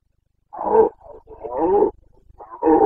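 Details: Carpathian red deer stag during the breeding season in Bucovina, Romania, 29 September 2022, giving a loud, continuous series of guttural roars and grunts, hoarse and rasping, running almost without pause.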